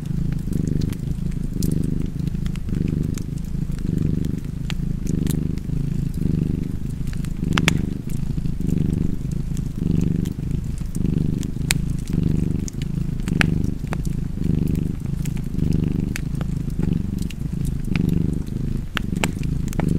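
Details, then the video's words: Steady low cat purring, each inhale and exhale giving a gentle pulse roughly once a second, with a crackling fireplace popping in the background. "Purring Cat and Fireplace 4K / Wallpaper Tv Art Çerçeve / Cozy Purring Cat ASMR / Kedi Mırlaması"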